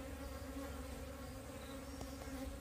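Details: A split-off wild bee colony being relocated into a box: continuous, even droning hum with a clear low tone and a higher overtone, over low rumbling background noise.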